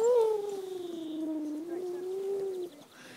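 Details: Puppies playing in a sunny garden with children; one drawn-out, tonal whining howl holds a steady, slightly wavering pitch for under three seconds, then cuts off, followed by quiet background.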